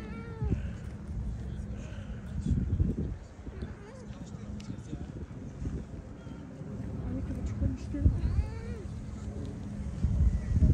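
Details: Stray cats in a heated exchange among feline companions: a drawn-out harmonic meow opens, then calmer stretches, with a rising, wavering wail near the end, against background human speech and outdoor urban noise.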